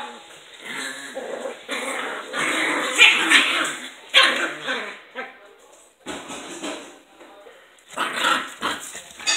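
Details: Several Sealyham Terriers at play or fight: rasping growls and snarling barks in loud clustered bursts, a brief quiet pause midway, then more scrappy growling outbursts.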